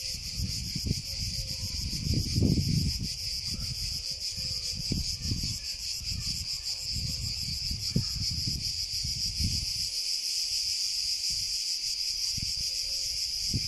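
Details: Cicada song: a steady, high, shimmering buzz held without a break through the whole recording, with low rumbling noise and a few soft thumps underneath.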